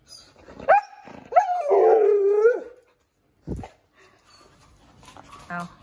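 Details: Siberian Husky named Cookie, indoors, reacting to being given boiled eggs as a treat: a voiced, wavering howl-like vocalisation with a short rising note then a longer sustained moaning phrase, followed by a brief sharp sound and faint human speech.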